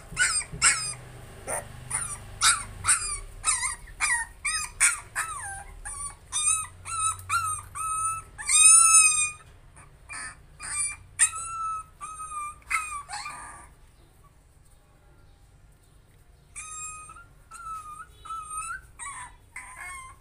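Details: A young puppy facing its fear whimpers and yelps in quick, uneven bursts of high, bending whines, then falls silent for a few seconds before resuming softer rising whines.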